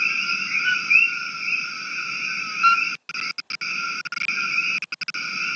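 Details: A replayed chorus of common coqui frogs (Eleutherodactylus coqui), invasive in Maui, gives steady high-pitched chirping with brief whistled notes and several short dropouts.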